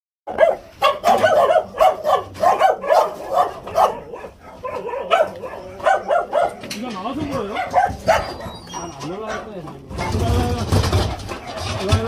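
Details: Jindo dog, an abandoned stray facing euthanasia during a rescue transport, barking in a fast series of sharp, repeated barks roughly four per second, then scattered barks mixed with people's voices and a burst of rumbling noise at the end.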